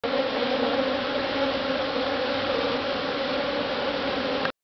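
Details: Honey bees buzzing inside a beehive: a dense, steady hum with low drone bands, unbroken and even in loudness for over four seconds.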